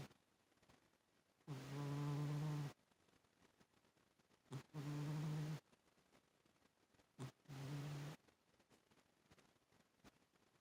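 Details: Rosie, a sleeping pet cat, snoring indoors: three drawn-out, buzzy, low snores, each over a second long, coming roughly every three seconds, with quiet breathing between them.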